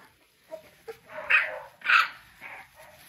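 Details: American Bully puppies, three weeks old, from a King Clyde and Dynasty litter in 2022: two short soft squeaks, then two louder whiny yelps about half a second apart, and a fading final whimper.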